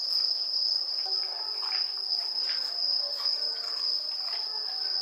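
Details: Suzumushi bell crickets sing during an autumn festival evening in Kamakura, Japan, producing a continuous shrill, bell-like tone that never pauses, over quiet low murmurs and scattered light knocks.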